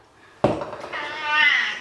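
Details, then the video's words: Domestic cat at bath time in a bathroom; a sharp thump, then a rising, wavering meow that swells toward the end, with faint room echo. "Get The Cat In The Bath - How I Wash My Cats"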